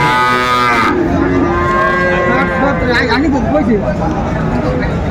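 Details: Sahiwal bull calf and other cattle at a busy cattle market in Chattogram, Bangladesh, 7 December 2024; a drawn-out, steady moo holds level for over a second and then wavers, over constant crowd chatter and men talking.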